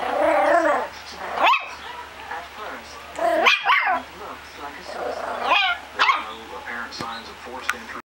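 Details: Puppy named Ringu barking in short, sharp, high bursts spaced a second or two apart, with a voice speaking at the start and a soft continuous hum underneath between barks.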